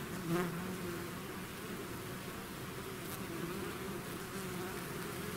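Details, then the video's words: Swarm of bees out of its hive: a single bee zips close and loud at the start, then the massed buzzing continues as an unbroken, wavering hum. "bees therapy swarm natural buzzing sound"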